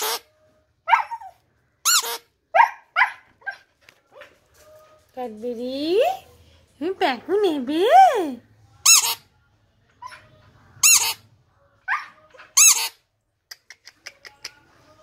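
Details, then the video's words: Husky howling and singing: short squeaky yelps and yips, then a wavering, rising-and-falling howl in the middle, followed by more sharp high squeals, with quiet gaps between them. "HUSKY HOWLING SINGING"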